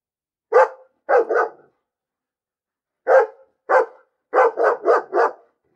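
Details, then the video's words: A dog barks in irregular bursts: a single bark, then a quick double, a pause of over a second, two spaced barks and a rapid run of four, with no other sounds. "Bellender Hund - Hunde bellen"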